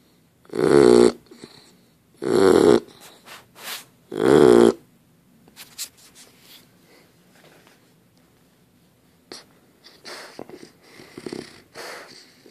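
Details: Dozer the dog, asleep, gives three loud raspy snores in quick succession, then the snoring fades into soft, irregular breathing and faint rustles.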